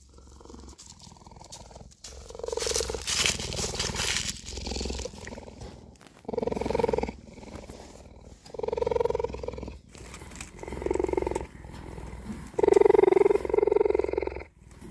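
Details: Cheetah kept in a birthing hut and watched for a possible pregnancy: a steady humming purr comes in bursts of about a second, repeated roughly every two seconds and louder near the end, with rustling and handling noise between.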